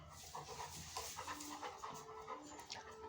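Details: Pet Labrador Retriever panting at home in quick, breathy rhythmic puffs, with a few faint whimper-like tones and a person speaking Malayalam just before and after.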